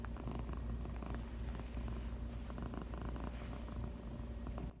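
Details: A female cat purrs contentedly on her owner's lap, producing a deep continuous rumble that stops abruptly at the end.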